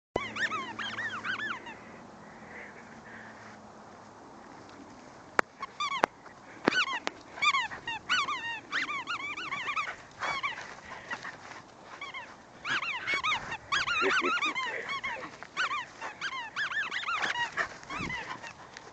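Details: Hugo, a pet dog, giving high, arched whining yelps in quick uneven bursts, each with stacked overtones, quieter stretch early on then dense runs of whines toward the end.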